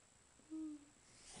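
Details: Great Dane singing on command as a trick, a behaviour that grows louder and more frequent when he wants something; one short, steady, low howled note lasting about a third of a second, with faint room noise around it.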